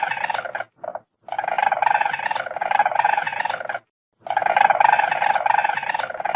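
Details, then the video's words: Weasel, a small predator of forests and fields, giving long raspy, pulsing chatters of two to three seconds, broken by a short clipped burst and a brief pause, with no other sounds. "WEASEL SOUND"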